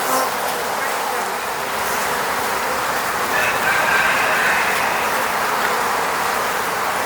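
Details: Many honey bees swarm around a beehive at an eco-apiary near Moscow, Russia, filmed with a Sony a7 III; a thick continuous drone fills the clip, and a faint thin whistle rises briefly near the middle.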